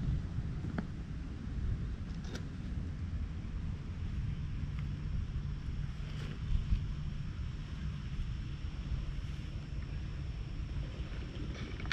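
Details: Low outdoor wind rumble with a few scattered clicks and taps, and no animal voice anywhere.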